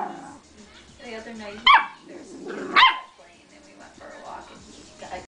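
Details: Two short, sharp yips from a Yorkshire terrier mix dog about a second apart during a first meeting with another dog, with people chatting in the background.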